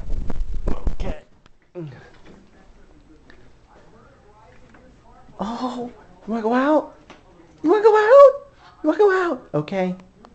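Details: A dog named Johnny with poor eyesight whines and moans as his owner comes home for lunch to let him out. Human speech opens the recording, followed by wavering, rising-and-falling moaning whines in several drawn-out bursts.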